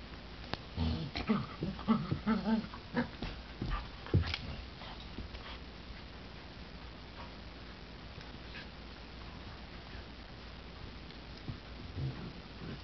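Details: Two puppies playing indoors, a black border collie and golden retriever mix and a nine-week-old golden retriever; she plays very loudly. A burst of rough growls, yips and whines in the first four seconds, then quieter scuffling with another few yelps near the end.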